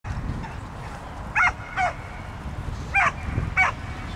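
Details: Pit bull named Brave Fighter's Odree at the "Осенний вальс" dog frisbee throwing-accuracy competition: four short, sharp barks in two pairs, each pair about half a second apart, over steady low outdoor rumble.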